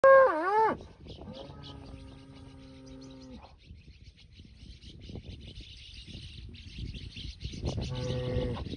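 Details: Aberdeen Angus bulls at the IEC agroholding: a steady, toned moo of about two seconds follows a short wavering higher call at the start, and another moo rises near the end, over a soft outdoor hiss.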